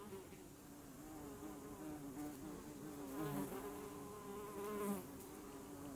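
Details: Honeybee watched up close, giving a steady droning hum with a wavering pitch that grows slightly louder toward the end of the six seconds.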